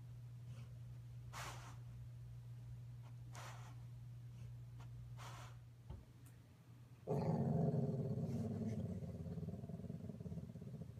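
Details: Sugar, a female yellow Labrador and fitful sleeper, dreams aloud while asleep indoors, filmed on an iPhone: steady low electrical hum and faint soft puffs, then a sudden muffled, groaning growl-whine from about seven seconds that slowly fades.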